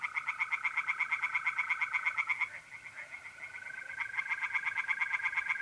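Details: Tree frogs singing in a pond on an April night in north-east Italy: rapid, evenly pulsed croaking runs, a brief pause near the middle, then more pulses, over a steady high trill of mole crickets.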